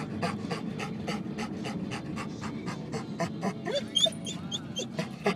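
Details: Excited pet dog Denali pants fast and rhythmically on a car ride, hoping for the dog park, then breaks into thin high whines and squeaks near the end, car noise underneath.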